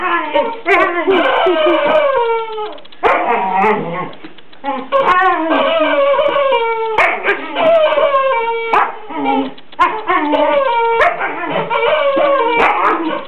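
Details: A Border Collie playing with its new toy, a chicken called Henrietta in a bunny costume. It keeps up a near-constant stream of harmonic whines and yips with sliding pitch, interrupted by sharp knocks and clicks.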